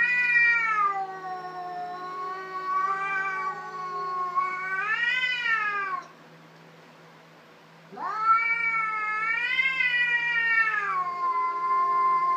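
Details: Domestic cats fighting: long, loud, wavering caterwauls, rich in harmonics, rising and falling in drawn-out howls, broken by a brief pause before another rising yowl; a low constant hum underneath.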